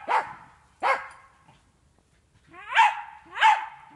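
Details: Jagdterrier barking during training on wild boar in an enclosure; four sharp, harmonic-rich barks come in two pairs, with a long quiet gap between the pairs.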